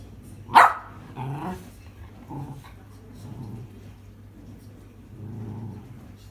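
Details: Miniature Schnauzer that loves balls, demanding that a ball be thrown: one sharp loud bark, then softer low grumbling, huffing vocal sounds trailing off over several seconds indoors.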